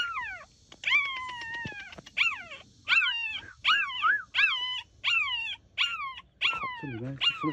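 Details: Loud cries from one of three abandoned stray-born puppies discovered inside a backyard plastic greenhouse: a run of high, falling, whining yelps roughly every three quarters of a second, one ending in a rougher lower squeal.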